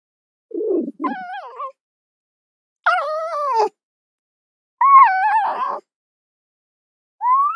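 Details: Fox opening with a rough grating note, then high, drawn-out whines that waver and fall, one ending in a raspy break, and a final rising squeal cut short.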